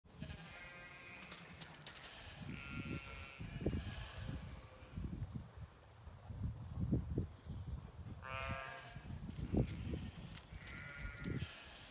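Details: Zwartbles ewes, part of a flock of 18 hoped to be in lamb, in an autumn field on a regenerative farm in County Kilkenny, Ireland, checking on their owner. Several wavering, nasal bleats come at intervals over heavy thumping footsteps and rustling.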